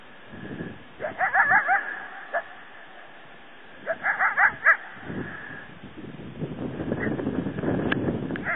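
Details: Wild coyote bark-howling at something unseen, possibly a mountain lion: two bursts of rapid yelping, wavering barks with rising-falling tones, each lasting about a second, separated by a pause, over steady wind-like outdoor noise.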